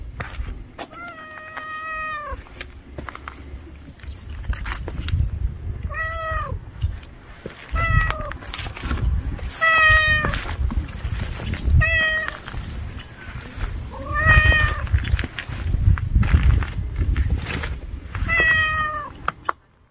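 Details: Hungry street cat outdoors giving a run of about eight short meows spaced roughly two seconds apart, some rising at the end, over steady low rumble.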